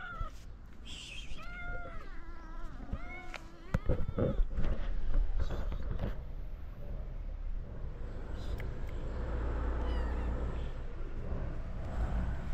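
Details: Stray cats in Morocco meowing as they greet the man who feeds them. Several wavering, rising-falling meows come in the first seconds, then fade into rustling and a low background rumble.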